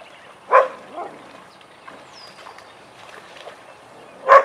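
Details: Vizsla at a den playtime session with Biscuit and Jericho gives two short, isolated barks about four seconds apart. Faint shuffling and soft noises fill the quiet gap between them.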